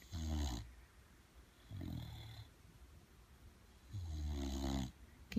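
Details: Lucy, a pet bulldog, is coaxed indoors to speak to the camera during a playful 'interview' and answers with three low, throaty, snore-like grumbles, each about half a second long, separated by quiet pauses of over a second.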